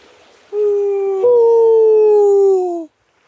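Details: Wild wolves heard from the water in wolf territory; one howls a long, smooth note that steps up slightly, then slowly slides downward.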